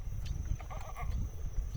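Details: A goat named Faya gives a short, wavering bleat in answer to a person calling her by name and asking her to "give voice," while being offered a treat.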